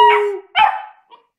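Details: A 4-month-old tricolour Basset Hound, just learning to howl, gives two brief, tonal howling yelps, the first sliding downward in pitch.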